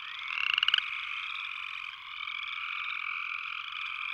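A close upland chorus frog gives a short, rising, pulsed trill, like a fingernail run along a comb's teeth. A dense chorus of more frogs hums steadily behind it throughout.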